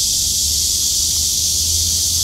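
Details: Kuliglig cicadas calling in unison from city trees in Seoul's Jongno district on a hot 2023 summer day; an unbroken, loud, shrill buzzing wash sits high, with a low traffic hum underneath.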